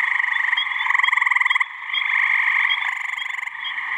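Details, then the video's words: Gray tree frog males calling to attract females on a warm spring evening in mid-May, New Hampshire pond; two short bursts of loud, fast-pulsed musical trill cut through a dense background chorus of other trilling frogs. "Gray Tree Frog mating call"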